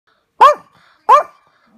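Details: Two sharp, high yapping barks from Yorkshire Terriers, pet dogs a bit bigger than teacup size, filmed for fun indoors; each bark short and bright, spaced about 0.7 seconds apart in a quiet room.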